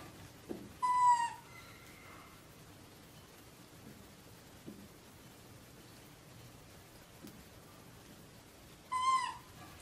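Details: Sam, a pet monkey, screams while discovering a bedroom. Two short, high, whistled squeals with bright harmonics and a slight downward bend come about eight seconds apart, with soft knocks and a quiet indoor room between them.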